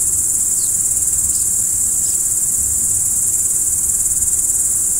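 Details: Cricket at night: a continuous piercing high trill, fast-pulsed and unwavering, with a few faint short chirps early on and a low background rumble.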